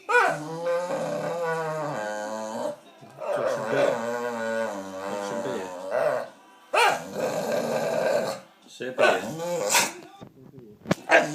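A dog gives long, wavering, grumbling whines to get attention and a biscuit.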